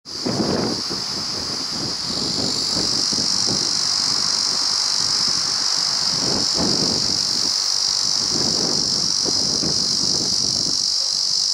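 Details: Male Ezo cicada at the summit of Mount Rokko, giving a steady, unbroken high buzzing drone throughout, with gusts of wind rumbling underneath.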